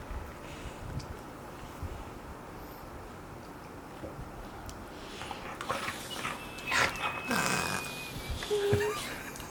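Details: Two five-month-old Golden Retriever puppies play, giving thin, high whines and a short squeaky yelp over a soft, rustling background, while an adult golden retriever sleeps on the floor nearby.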